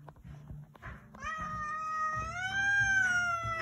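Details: Zefir, a domestic cat described as very angry, gives a long drawn-out harmonic yowl that starts after a second of quiet shuffling and swells steadily louder, holding a level tone with a slight rise near the end.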